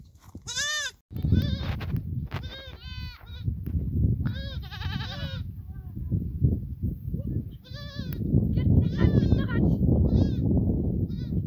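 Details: Goat herd calling: a string of loud, quavering bleats from several animals, one sharp cry near the start then bursts of shaky, vibrato bleating every couple of seconds, over a continuous low rumbling background.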